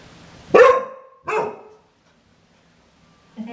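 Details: Clumber Spaniel barking twice, about three quarters of a second apart, each bark short and sharp, then quiet before a faint sound at the end.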